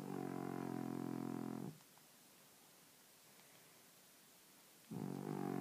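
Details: French Bulldog snoring while asleep: a loud, rasping, buzzy snore lasting nearly two seconds, then about three seconds of quiet, then the next rattling snore begins.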